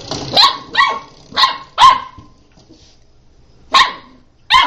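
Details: Playing puppy giving loud, sharp yappy barks, four in quick succession, then a short pause before two more.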